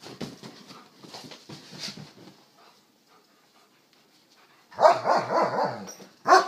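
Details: German Shepherds at play: soft scuffling and quiet huffs, a hush, then a loud, rough, harmonic growling vocalization pulsing for over a second, followed by one more sharp bark-like burst at the end.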